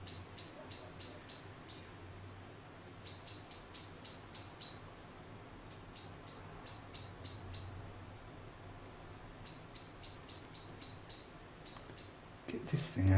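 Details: Charlie, an orphaned baby grey squirrel about a week old, found in the garden after falling from his nest, being hand-reared indoors; bursts of five or six rapid, high, squeaky chirps repeat with short pauses, ending in a louder handling thump.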